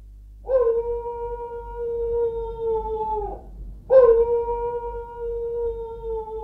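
A grey wolf gives two long, steady howls of about three seconds each, held on one low, mournful pitch and sagging slightly at the end.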